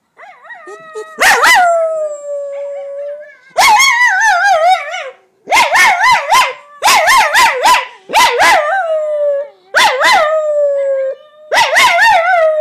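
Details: Coton de Tulear male dog barking and howling while reacting to a recording of himself; loud tonal yowling barks in repeated bursts about every one to two seconds, with wavering pitch and sharp onsets.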